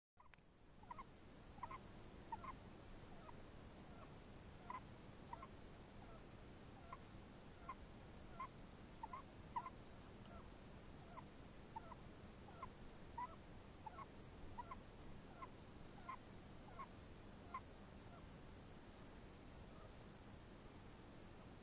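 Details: Chinese hamster, its noises questioned as snoring, giving soft, short squeaky chirps that repeat steadily about every second across the recording over a faint, even background hiss.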